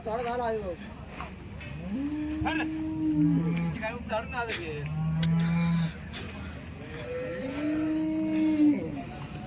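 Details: Cows at a dairy cattle market in Loni giving three prolonged deep moos a few seconds apart, each a level, held tone, against crowd noise and occasional knocks.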